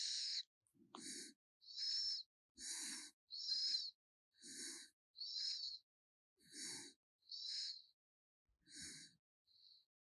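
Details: Sleeping raccoon snoring: rhythmic breathy, hissing snores repeated about every second, each a short airy burst with a soft lower rasp on some breaths, separated by brief silences.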